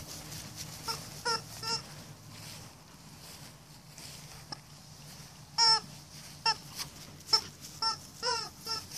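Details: Alaskan Malamutes Roop and Amira, a 125-pound female and a 65-pound littermate-runt cousin, playing together in a yard; sharp, rising yips and whiny calls come in quick bursts, mostly in the second half.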